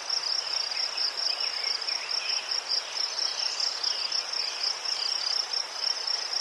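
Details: Crickets among chrysanthemums in Ukraine, a shrill, continuous high trill swelling and fading in quick waves, with faint softer chirps lower down in the first half.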